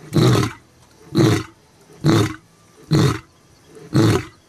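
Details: Olare Orok lion giving five short, deep grunting roars in a steady series, roughly one every second, each rough and heavy with a quick fall-off.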